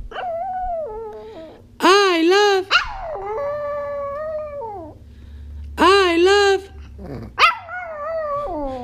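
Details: Baby Kay, a female Chihuahua, howling during training, with long wavering harmonic howls that rise and fall, two louder yelping bursts near two and six seconds, and a steady low hum underneath.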